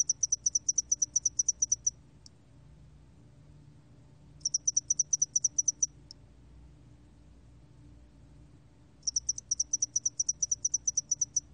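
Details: Spotted-wing hairy cricket recorded in 2020. Three bursts of rapid, high, crisp pulsed chirping, each lasting about two seconds and separated by quiet gaps, over a faint low hum.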